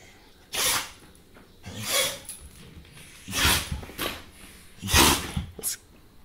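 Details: A dog sneezing in a short burst: four sharp, explosive, hissing sneezes about every one and a half seconds, each a brief noisy blast, followed by a fainter fifth snort.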